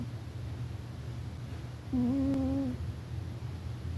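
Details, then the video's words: Pet cat Rufus asleep and snoring indoors: a single drawn-out whistling snore of nearly a second, level in pitch with overtones, set against a low steady hum and one brief tick. "Cat Snoring"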